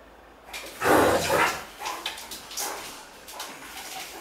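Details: Indoors in Sao Paulo, August 2014, the Great Dane Cartier Bresson, mid-play, lets out a heavy, rough bark-like huff, followed by a few softer grunting puffs and room noise.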